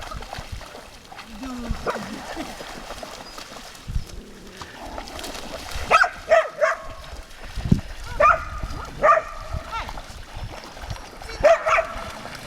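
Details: Dogs by the lake at Lida Nature Reserve on a summer day; several short, sharp barks ring out in the second half, spaced about one to three seconds apart, over ongoing Swedish conversation and background chatter.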